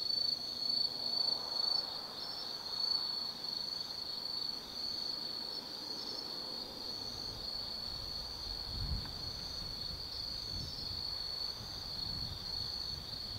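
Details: Autumn night at the Tsukimi no Mori observation deck, Kaizu, Gifu, Japan: insects keep up a constant high shrill trill throughout, while a few dull low thumps and a soft rumble pass underneath in the second half.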